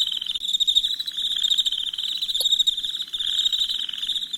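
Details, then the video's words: High, unbroken trilling of crickets at night with a fine pulsed texture, joined by lower rattling pulse trains that start and stop, plus a single short click partway through. "Soothing Crickets Chirping Sounds"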